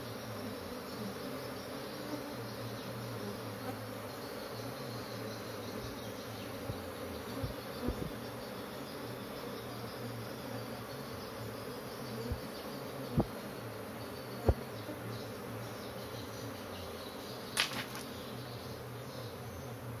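Honey bees fill the air with a steady, low, layered hum from a restless colony.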